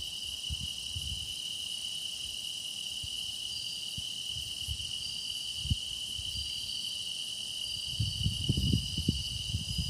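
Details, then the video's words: Meditative night-style chorus of grass insects: a constant high-pitched trilling hum carries throughout. Low knocking and rumbling swell near the end. "깊어가는 풀벌레 노랫소리"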